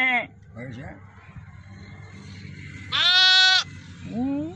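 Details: Day-old lambs in a village: after a quiet stretch with low background rumble, one loud, bright, wavering bleat lasting under a second, followed by a shorter falling bleat.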